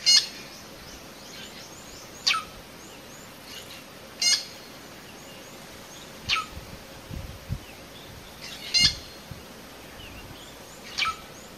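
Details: Alert cheetah mother summoning cubs hidden in high grass, Phinda, Zululand, South Africa; a steady series of sharp, high chirps repeated about every two seconds, six in all, against a quiet background with faint distant twittering.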